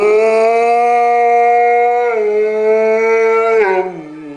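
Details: Afghan Hound named Zephyr howling at a passing fire brigade car, Winterswijk, the Netherlands, May 17 2011, indoors; a steady, sustained tonal howl holding level for about three seconds, then dipping and sliding down at the end.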